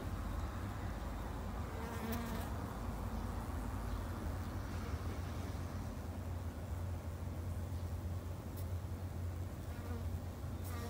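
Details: Japanese honey bees in a garden beekeeping setup produce an unbroken low, rumbling buzz. Only a few faint clicks and brief rustles break the drone.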